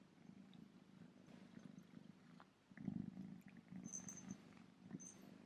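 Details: Remi, a male kitten in his first bow-tie collar with a bell, purrs softly and continuously; faint high bell tinkles sound near the end.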